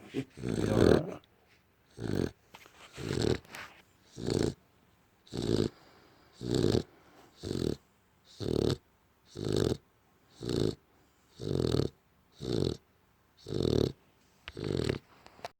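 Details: Pet American Bully dozing on a couch, breathing in loud rasping, growl-like snores; about fourteen short, noisy bursts arrive at an uneven pace, roughly one per second, with hissy breaths between them.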